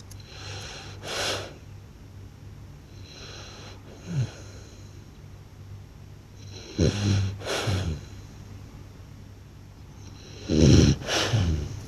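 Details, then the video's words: Blue French Bulldog snoring loud enough to shake the house: deep, rattling, throaty snores with wheezy inhales, coming in uneven bursts every few seconds over a low steady hum. "หมากรนลั่นสะท้านบ้าน/French Blue Dog Snores Loud"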